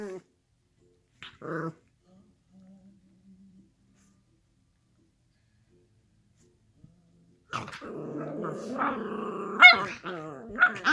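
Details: Playful miniature schnauzers rough-housing on a couch, mostly quiet at first with a brief growl, then a burst of mixed growling, snarls and sharp yips in the final seconds.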